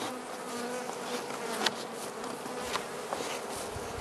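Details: Honey bees of the Carniolan race humming inside their hive during late-winter feeding, southern Finland, March 2017, +3 C outdoors; an even, continuous drone holding steady throughout, with a few faint clicks.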